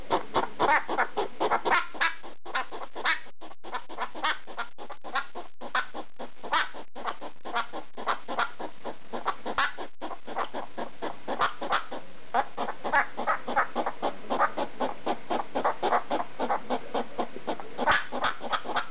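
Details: A pet hedgehog in the middle of the night makes a barking-like noise at a slipper: rapid, harsh, clicking huffs in an uneven stream, several per second, with short pauses.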